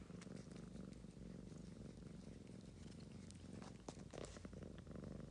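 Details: Ragamuffin cat staying close to a sleeping daughter, purring continuously; a low, even rumble with small clicks and rustles scattered through it.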